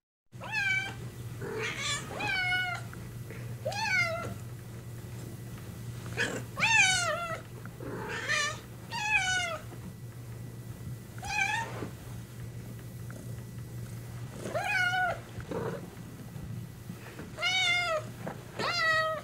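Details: Cat meowing about ten times in short, wavering, rising-and-falling mews spaced a second or two apart, with a steady low hum in the background.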